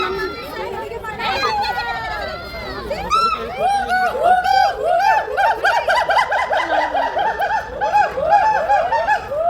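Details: Monkeys at Kolkata Zoo give loud, arching hoots and shrieks, repeated quickly in an overlapping, playful shouting chorus.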